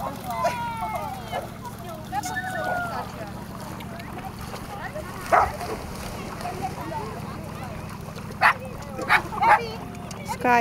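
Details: Tricolor Shetland Sheepdog named Sky on the dog beach Erkemeder Strand near Nijkerk, Netherlands, 3 August 2011; sharp single barks stand out midway, then a quick cluster of three near the end, over Dutch talk early on and a steady low rumble.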